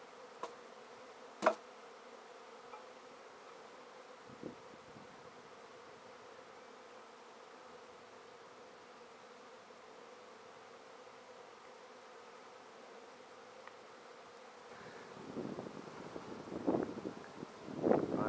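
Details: Honey bee swarm in a basket after being taken from a tree, with much fanning noted; a steady hum of wings, a couple of sharp knocks early, then rustling and handling noises building over the last few seconds.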